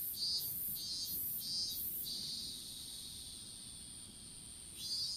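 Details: Open-field strawberry bed with insects singing, recorded by a dropped smartphone during planting: four evenly spaced hissing chirps about two-thirds of a second apart, then an unbroken high-pitched drone that fades before another chirp.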